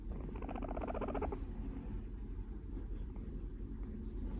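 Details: Moru-chan, a four-year-old female Abyssinian guinea pig, snuggles beside her owner's brown skirt indoors; a short buzzy, rapidly pulsed purr lasts about a second, then fades into steady low household rumble from a dishwasher and a truck outside.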